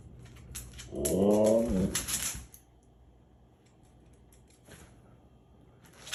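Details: Pet dog indoors in a home with a husky and a shiba inu, vocalizing persistently for treats: one drawn-out, arching, whining howl lasting about a second, then quiet room with faint clicks.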